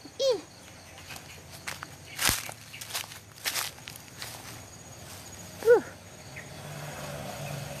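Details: Dog outdoors giving two short, arched yelping barks several seconds apart, each sliding down in pitch, amid footsteps, rustling and crackling sounds.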